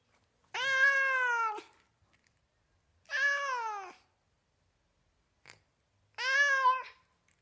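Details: Cat meowing three times at an even pace of nearly three seconds, each call about a second long and falling slightly, with a soft tap heard between the second and third.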